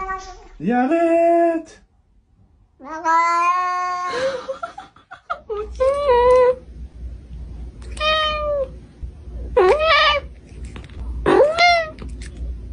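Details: Talkative domestic cat arguing with people: a run of six separate meows over about twelve seconds, some long and flat, others short with rising-then-falling pitch, and faint voices between the calls.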